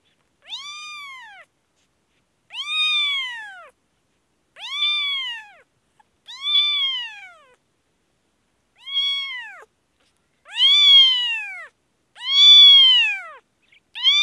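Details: Sick newborn kitten in Kashmir calling insistently, steady arched meows about every one and a half seconds, each rising and falling, growing louder toward the end, with one longer pause midway.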